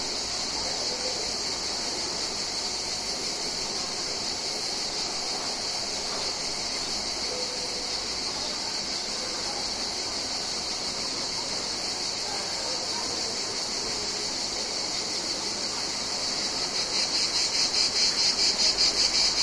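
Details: Mediterranean cicadas in summer: a steady, dense, high-pitched hiss-like buzz with faint rapid pulsing that grows louder and more throbbing toward the end.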